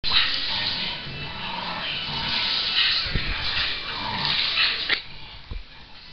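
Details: Shamus, a Scottish Terrier, clings with all his power to his favourite toy during a tug game at home; harsh, continuous broadband growling and snarling noise runs throughout, with a few low thumps near the end.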